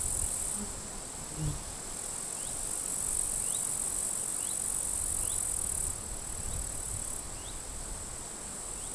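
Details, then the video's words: Grasshoppers crackling in dry grass at a forest edge in late July, strong wind blowing; a continuous shrill, high buzz with brief breaks, faint short rising bird chirps repeated through it, low wind rumble beneath. "Wind noise and grasshoppers crackling"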